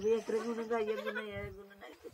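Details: Orphaned goat kid bleating: one long quavering, nasal cry held for about a second and a half with a wavering pitch, then trailing off, with faint background noise and a brief human voice near the end.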